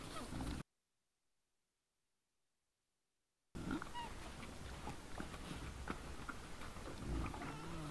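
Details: Wild boars caught on a trail camera at 20:17 on 17 December 2022, grunting and snorting in low, rough bursts after a brief silence.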